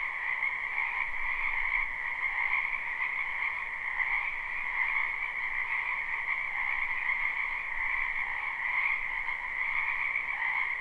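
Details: A spring wetland full of frogs, captured live with no looping. Overlapping croaks merge into a continuous pulsing drone with a low and a higher layer, holding an even loudness throughout.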